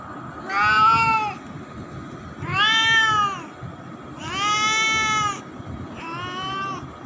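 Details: Grown young pet cat meowing four times, each meow a drawn-out, arching, harmonically rich cry lasting about a second, spaced roughly every one and a half seconds, over a low background rumble.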